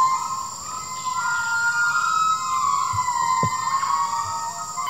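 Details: A rescued gibbon at a rescue centre sings with long, pure, siren-like notes that swoop gently up and down.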